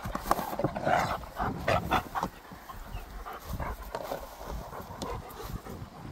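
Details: Pet dog named Gorlock The Destroyer grunting and panting while eating and playing, close up: irregular breathy bursts and low snuffling grunts at a quick pace, with soft broadband rustling between them.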